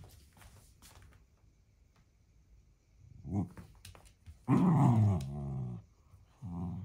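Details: One-year-old female blue merle Shetland Sheepdog indoors, forcibly pulling a toy crocodile from behind a narrow fence in a room. Near-quiet shuffling at first, then a loud, low, harmonic growl lasting under a second, a shorter rumble after it, and a final brief growl.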